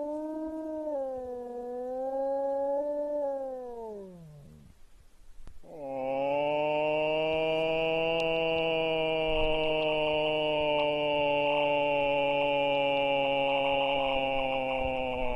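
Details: Wolves howling: a wavering howl slowly falls and fades, then after a short pause a fuller, richer, sustained howl swells and holds for nearly ten seconds, several voices seeming to blend into one steady chorus.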